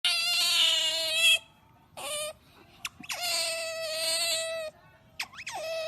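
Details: Otter giving loud, drawn-out harmonic squeals, each held over a second with a steady then wavering pitch, then shorter squeaks and a sharp rising chirp, repeated several times with quiet gaps.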